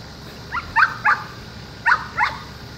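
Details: Excited whining yips from an intact male border collie drawn to a woman: three rapid squeaky yelps, a short gap, then two more, high and nasal over a steady low hum.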